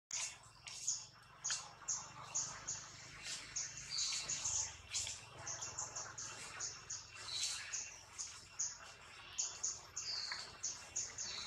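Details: Baby monkeys, newborn Anissa and her sister Alba, the older one happy to see her; thin, very high-pitched squeaks repeated about every half second to second throughout, over soft rustling and handling noise.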